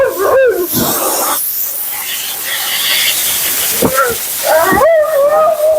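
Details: Mila, a vocal female Siberian Husky, is bathed and groomed. Short, bending whines and groans come in bursts, and a longer rising-then-level moan closes the passage. A loud hissing blow of water or air runs underneath throughout.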